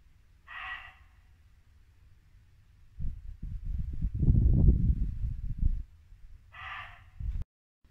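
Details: Barking muntjac in Norfolk woodland at dusk in late winter, two abrupt rasping barks about six seconds apart, with a louder burst of low brook rushing between them.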